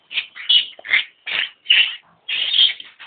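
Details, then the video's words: Newborn piglets from a sow in labor, high thin squeals in short bursts about once a second, with people talking afterward. "Labor Pig"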